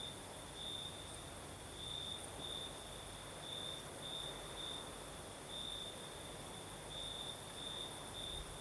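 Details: Singing crickets on a southern Crimean night with a light breeze, their thin, high, ringing chirps grouped in pulsing bursts, while a low airy rumble and faint higher drone fill the background.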